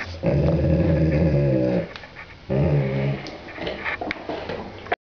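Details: A dog guarding its bone growls deep and rough in two long rumbles, each close to two seconds, then quieter grumbling and shuffling noises.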